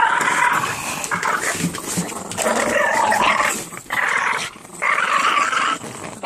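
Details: Boston Terriers tussling over an orange toy, growling almost continuously in harsh, rumbling, mid-pitched bouts that break off briefly and resume, with rustling play noise.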